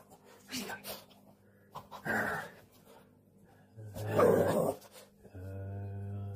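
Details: A playful Boston Terrier indoors makes harsh, throaty play-growling bursts, each under a second, with a longer grumble near the end, a person's voice and a steady low hum behind.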